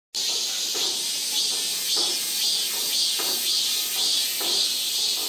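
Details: Cicada calling in South Korea: a continuous, high, shrill buzzing drone that swells and fades in pulses roughly once a second, with no other clear sounds.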